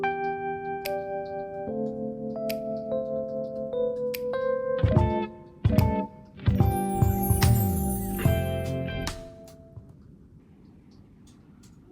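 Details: Plucked guitar and chime music plays in a small room, fading out toward the end, with no animal sound.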